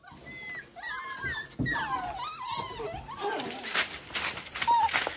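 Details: Nine-week-old golden retriever puppies in Northern California, several whimpering and whining together in overlapping high, wavering squeals. The second half turns into broadband rustling and clatter, with a final short whine.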